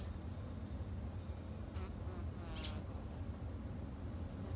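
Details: Japanese honey bees kept in a backyard hive, a steady low droning hum filling the background, with a short bird chirp and a faint click rising above it midway.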